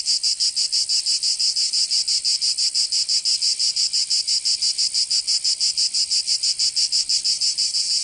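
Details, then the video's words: Cicadas singing in summer in Provence, southern France: a dense, buzzy high-pitched chorus pulsing about three times per second in a steady, regular rhythm with no other sounds. "Canto Cigarra 🦗 [ Escuchar les cigarras en verano 10 H]"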